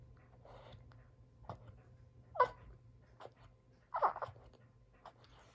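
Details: Boston Terrier named Sully whimpering indoors, upset that no one plays with him as he keeps hold of his toy; short squeaky whines and huffs come in irregular bursts.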